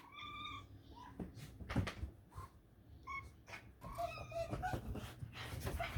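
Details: Talking cat asking for treats: a clear tonal chirping trill at the start, then further short chirps and murmurs mixed with handling noises, clicks and rustling throughout.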